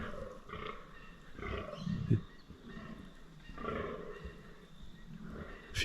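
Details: Rutting fallow deer bucks, several gathered on higher ground in 2023, groan in low hoarse bursts spaced a second or two apart, fairly distant and quiet against a calm outdoor background.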